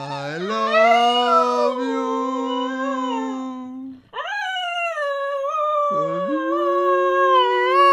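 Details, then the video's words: Pet Cocker Spaniel howling along while its owner sings; a steady low human voice opens, then a high, sustained, slightly rising howl takes over after a brief pause, with a lower human tone joining beneath it near the end. "The singing dog"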